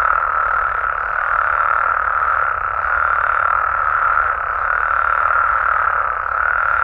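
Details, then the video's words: Frogs and toads of Mexico at night, massed voices forming an even, unbroken buzzing chorus with no pauses and little change in loudness. "Mexican Frogs & Toads Sounds"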